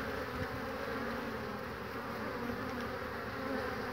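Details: Spring hive entrance, 22 March 2019, honey bees entering through one opening on a sunny day: an even, continuous droning hum of many bees with no pauses, low and broad throughout.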